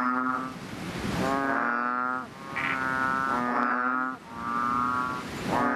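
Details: Frogs in a nighttime chorus in their natural habitat: long, droning, harmonic croaks with a steady low pitch, overlapping and nearly continuous, with brief dips between bouts.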